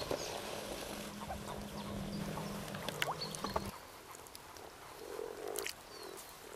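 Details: Frogs in mating season at Kassinurme, 25 April 2011, giving soft low croaks in a loose chorus, with a steady low hum through the first half and scattered clicks and faint bird notes above.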